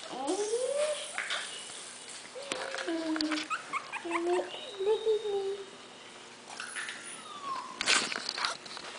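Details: Havanese puppies almost three weeks old, from Teddy and Layla, eyes newly open and just starting to walk while two boys play with them; soft, short squeaky whimpers, some rising, repeated through the clip over low background noise and faint voices.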